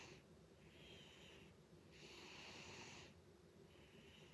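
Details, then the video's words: Loud snoring from Butters, a house cat: breathy, snorting rasps alternating with short silences, one long wheezy breath in the middle louder than the rest, indoors and otherwise quiet. "Cat Snores Loudly"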